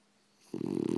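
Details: A French Bulldog snoring indoors: after half a second of quiet, one loud, rough, throaty snore breath begins and keeps going to the end.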